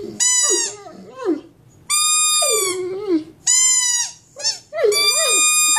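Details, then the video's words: A large male Mastiff howls indoors as a pet: four bursts in under six seconds, each a steady piercing high note over a lower, wobbling yowl that bends up and down. "the Mastiff singing you the song of his people"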